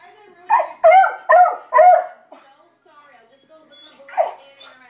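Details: Beagle named Libby in panic mode, barking as an alarm at dogs or the mailman outside: four loud, harmonic, slightly howling barks in quick succession, a pause, then one more bark, with a person's voice faintly around.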